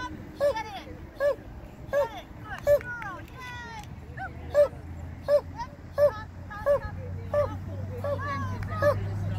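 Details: Border Collie barking through a novice agility course. Clipped barks repeat at a quick, fairly regular rate of more than one per second, with people talking nearby and traffic noise behind.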